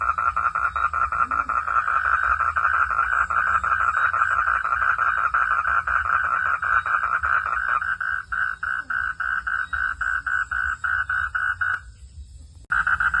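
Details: Frog calling as rain falls, a dense, steady run of rapid pulsed croaks at a mid pitch that carries on almost without a break, falls briefly silent near the end, then starts again abruptly.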